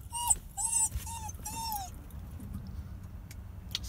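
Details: A dog, described as a crying boy, whines in four short high tonal cries, each sliding down at the end, packed into two seconds, followed by near silence with faint background rumble.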